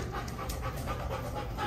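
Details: Gideon, an 8-month-old Golden Retriever, in obedience training with Detroit Dog Trainers; quick, rhythmic, breathy panting puffs repeat several times a second over a steady low hum.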